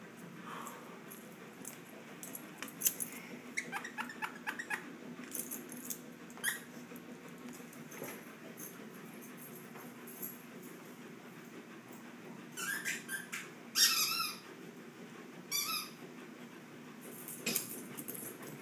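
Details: Shih Tzu dogs wrestling indoors, giving short high squeaky yelps and whines in scattered bursts, clustered early and again near the end, over a steady low room hum and soft scuffling.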